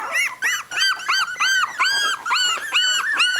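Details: Three-week-old miniature dachshund puppies, eyes just open, give a rapid run of high, arching whines and squeaks, about three per second, each bending up then down, with no other sounds.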